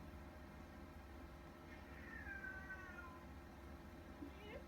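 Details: Female Siamese cat newly adopted from an animal shelter, on her adoption day, 30 September 2019, exploring her new home from a couch in Memphis, Tennessee, recorded on an iPhone; one soft, drawn-out, falling meow mid-clip beneath a woman's gentle talking and steady background hum.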